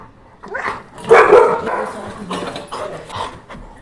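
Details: Pet Labrador Retriever indoors, just woken from sleep and coming over when offered boiled milk at milk time; a short whine, then a louder drawn-out harmonic groan and softer trailing whimpers, with a woman speaking Tamil around it.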